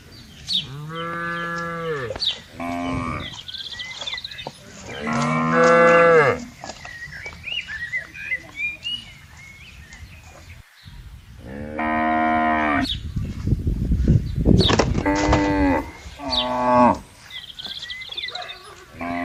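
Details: Cows with buffaloes roaming a wide green rural pasture; five or six strong moos in loose pairs, a burst of low rumbling noise overlapping one call, and faint bird chirps in the background.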